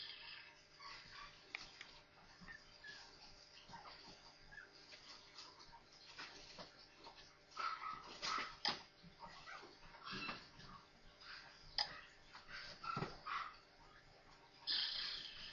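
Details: Four newborn Maltese puppies playing together. Faint, scattered short whimpers and squeaky yips come and go, strongest around the middle and near the end, over a soft hiss and light rustling.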